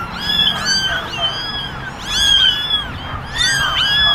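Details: Kittens crowded in a basket, ten ginger and one white, calling for attention: overlapping shrill mews in bursts, a faint voice briefly underneath.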